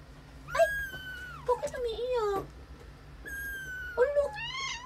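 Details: Sleeping British Shorthair kitten crying during a nightmare: two long wavering meows, the first level then falling and dropping low, the second rising into a bending upturned wail, with faint music behind.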